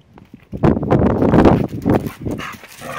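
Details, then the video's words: Teddy, a shaved nine-month-old Old English Sheepdog in a summer haircut, greets his owners arriving home from work with a loud, rough burst of excited barks and yelps lasting about two seconds, with a person calling his name. "Teddy excited as we arrive home from work!"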